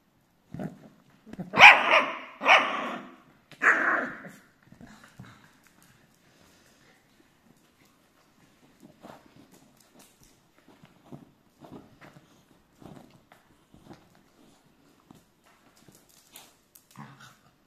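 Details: Nine Miniature Schnauzers, four adults and five puppies, give a few sharp, loud barks, then quieter scattered yips and shuffling noises.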